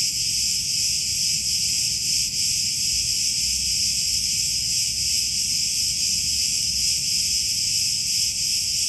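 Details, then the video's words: Olive-grove cicadas on Crete, Greece, massed in a loud, even, high-pitched buzzing chorus that runs without pause, faintly throbbing in slow irregular swells. "Cicadas Orchestra in Olive Groves"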